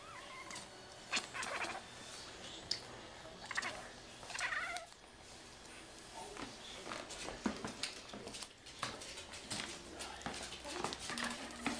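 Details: A male kitten playing with a paper-on-string fishing-pole toy gives short, odd chirping meows like a "meow laugh", among rustling and thumping noises.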